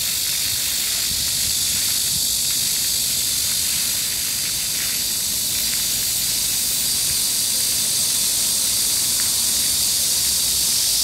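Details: Midsummer cicada chorus in Gangseo-gu, Seoul, on a hot, breezy July day: an even, high hissing whine lasting the whole stretch, mixed with the steady wash of a park fountain.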